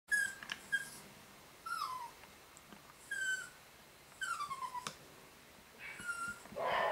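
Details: Nine-week-old Maltichon puppy, a home-bred pedigree baby boy from a new litter, indoors; thin, high whimpers sliding downward in pitch, arriving in short bursts roughly every second with quiet pauses between.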